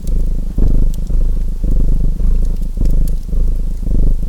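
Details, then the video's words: Purring cat layered with fireplace crackle: a coarse, vibrating low drone rising and falling in around five even surges, brief quiet gaps between breaths, bright pops of fire scattered throughout. "Purring Cat Sounds | Feu de Cheminée et Ronronnements"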